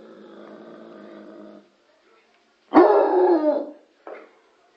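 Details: Bloodhound named Lorenzo barking toward the television: a steady droning tonal background, a pause, then one loud, rough, drawn-out bark lasting nearly a second, followed by a brief softer yelp.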